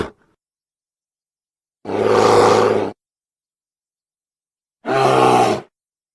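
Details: Grizzly bear at Grizzly Park, in an edited recording: two long, rasping, growling roars about a second each, separated by three seconds of silence, with no other sounds.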